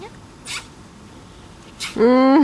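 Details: Nervous little one-eyed shelter dog at Loomade Hoiupaik lets out a loud, rising harmonic whine at the close, preceded by two soft rustling swishes.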